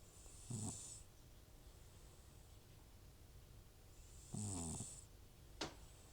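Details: Butcher, an old rescued cat with FIV and recurring nasal trouble, sleeps and snores: two harsh, throaty snores roughly four seconds apart with airy hiss on top, then a short sharp click.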